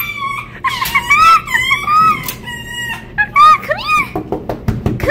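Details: Winter, a rescued female red fox still learning to trust, whines and wags her tail when petting stops. Her wavering, arching whines are followed by short broken notes and soft rustling indoors.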